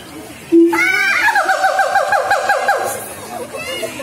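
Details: Singing siamang, a black long-armed ape of Sumatra: a sharp loud note, then a rapid run of about a dozen evenly repeated bouncing hoots, fading into scattered calls.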